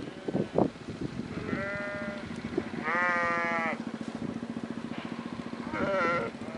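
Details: Sheep or lambs in a valley giving several nasal, harmonic bleats of varying length, one louder and wavering, over a steady rhythmic low throbbing and background noise.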